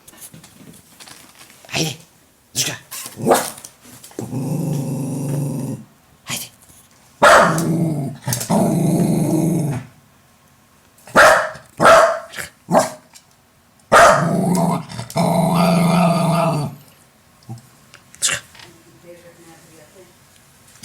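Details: A Jack Russell Terrier facing a mirror gives long, throaty growls lasting up to three seconds, broken by short snappy barks. Human voices are heard in the pauses.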